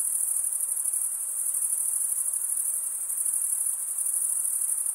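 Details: Male crickets stridulating: a loud, unbroken high trill, finely pulsed and constant in volume, forming a thick chorus-like wall of chirping with nothing else audible.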